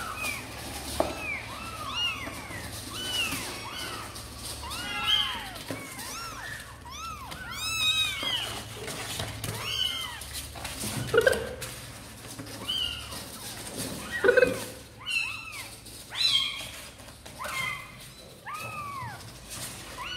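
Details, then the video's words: A litter of kittens from the cats Sor and Kapov, keen to get out and play, cry insistently, with many overlapping high mews and a few louder, strained calls standing out over faint background noise. "Sor and Kapov kittens update - Looks like they really want to come out and play"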